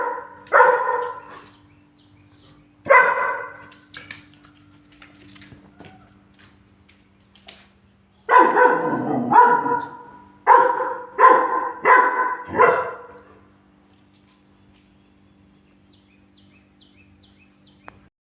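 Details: Angry German Shepherd puppy facing its own fridge photo: two separate barks early, then a quick run of five sharp barks in a row, followed by quiet with a steady low background hum.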